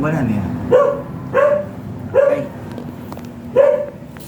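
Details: Shih Tzu dog offered for stud service in San Jacinto, Pangasinan, giving four short, sharp, high yapping barks, the first three about 0.7 seconds apart and the last after a longer pause, over a low steady hum and a brief murmur at the start.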